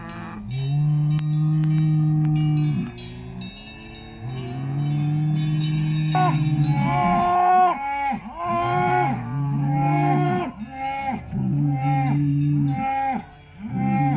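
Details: Salers cattle at a cattle show in Pleaux, Cantal, France, on 13 August 2022: long, steady, deep lowing notes, then a run of short arched moos about once a second, with bell tones behind.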